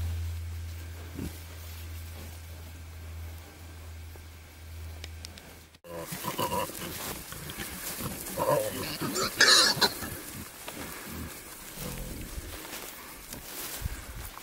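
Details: Wild boar, a male courting a female in the wild: a quiet opening with steady low hum, then a run of rough, irregular low grunts and snorts with rustling movement.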